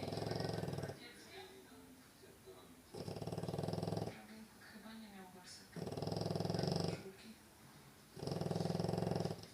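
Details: French Bulldog snoring: long rasping, rattling breaths roughly every two to three seconds, each lasting about a second, with quieter wheezy exhales between them in an indoor setting.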